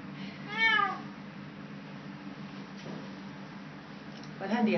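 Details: Woodlands cat recorded 06/07/2012 while eating: one short rising-then-falling meow early on, then a steady low hum, with a person's voice and a faint second cry at the end.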